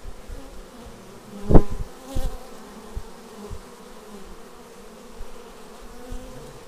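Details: Bees arriving at a beehive, filmed on an action camera: a steady low hum of many wings, with a few louder passes of bees flying close by.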